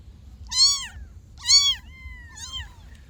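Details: Kitten meows given as a lure to attract a cat: two loud arched mews close together, a long thin level whine, then a softer third mew, over a faint low hum.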